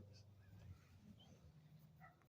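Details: Sleeping dogs, several of them, resting on two tarps, snore softly in a low, rumbling drone that rises and falls over a couple of seconds, with faint scattered higher noises in the background.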